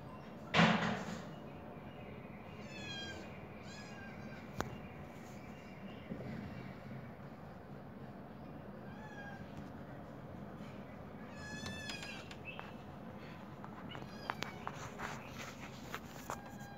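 A kitten gives short, high mews, calling out for its mother.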